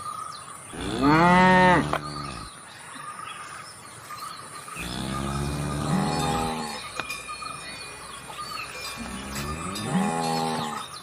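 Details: Cow mooing three times, each a long harmonic low moo lasting one to two seconds with pauses between, over a faint steady high-pitched whine and low background hum.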